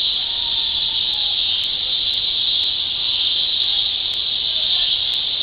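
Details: Cicada, loud and steady high buzzing drone that holds unbroken for the whole stretch with no pauses, along with faint regular ticking clicks above it.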